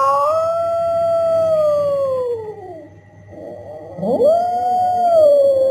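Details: Cat yowling, played to drive mice and rats away from a house: a long, sustained wailing tone sinking slowly downward, a short lull, then a rising swoop into another drawn-out wail.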